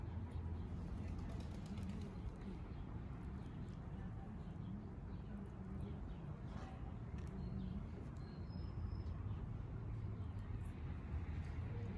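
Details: Steady low rumble like traffic or a running engine, with no clear animal voice.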